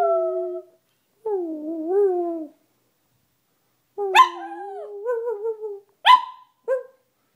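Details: Domestic dog howling under a half moon: sustained mid-pitched howls with wavering pitch, followed by sharper, yelping onsets that break into short howled notes near the end, with brief silent gaps between.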